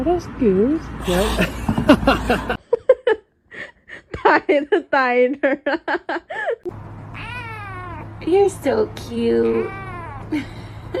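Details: Domestic cats in a funny pet compilation giving several short, arched meows and chirps, some quick and stuttering, with human voices talking in between and a steady low hum in the background.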